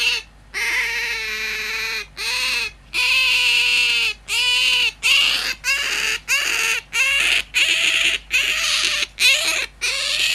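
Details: Hand-tame domestic otter squealing like an alarm clock: a run of about a dozen loud, high, harmonic squeaks, each under a second, repeated almost every second with brief pauses between.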